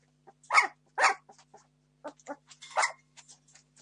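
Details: Seventeen-day-old Entlebucher Mountain Dog puppies of a litter born 26 September 2015 clamour for food with loud, harsh squeals and yelps in uneven bursts, interspersed with softer whimpers and small squeaks against a faint hum.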